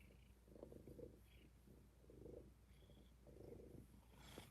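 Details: Up-close purring from kittens in the Kitten Cuddle Room, whose names are Rob, Faye, Fig and Fiona. A deep, steady rumble rises and falls in three slow breathing pulses over a quiet background.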